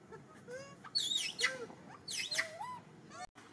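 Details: Monkey Martin shouts urgently for his lost granny, separated from her for a few minutes: loud, high, swooping whistles with bright harmonics, rising and falling in quick succession, ending with a lower upward slur.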